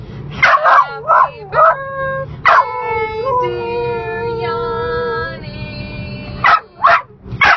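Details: Dog singing along to the happy birthday song: a long, wavering howl held for about three seconds, with short bursts of yelping notes before and after it.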